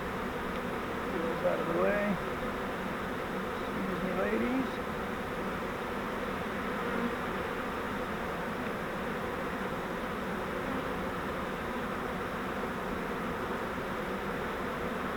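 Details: Many honeybees from a swarm taken in a custom flowerpot swarm trap give a constant, even droning hum; brief talking near the start, then only the buzz.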